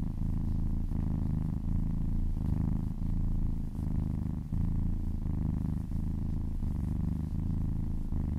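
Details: Massaged pet cat giving a strong, rhythmic purr, low vibrating rumble broken by short breath pauses about every second, with light rubbing of fur.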